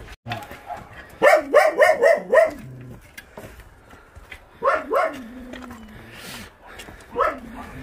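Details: Stray dog being transported by volunteers from the Narae-ul Center in Ulsan, South Korea: a quick run of five rising-falling yelping barks, then two more single yelps after pauses, with a voice nearby.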